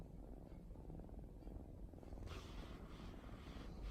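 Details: Female mixed-breed cat dozing on her favourite sofa on a holiday afternoon; a low, steady rumbling purr fills the clip, with a brief rustle of higher noise toward the end.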